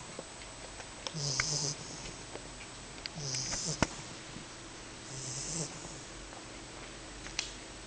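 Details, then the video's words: A 10-week-old female English Bulldog puppy snores in her sleep, a low rumbling, hissing breath about every two seconds, with a brief elbow click at about 12 seconds. "Matzoball Snoring In Sleep (English Bulldog)"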